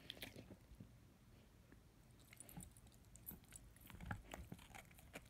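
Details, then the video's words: A 10-month-old German Shepherd/Labrador puppy chews on his first bone. Sharp, irregular crunching and gnawing clicks come in scattered bursts over a soft low rumble. "ASMR Dog chewing on bone"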